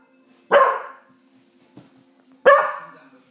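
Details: Pauly, a Beagle who has learnt to howl at the neighbours, gives two loud baying barks about two seconds apart, each breaking off into a short fading harmonic tail, with a faint click between them.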